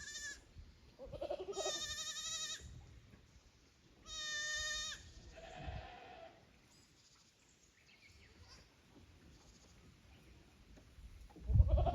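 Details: Goat kids at a handmade goat farm in Japan, 15 May 2024, unsettled after coming from the lower pasture to an unfamiliar upper pasture; two long, strained, quavering bleats about two seconds apart, then a shorter lower cry and quiet rustling.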